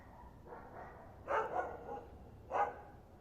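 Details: Dog heard but not seen, an "invisible dog": soft, muffled bark-like bursts, one weak yip, then a cluster of two or three barks and a single later bark, over a low background hum.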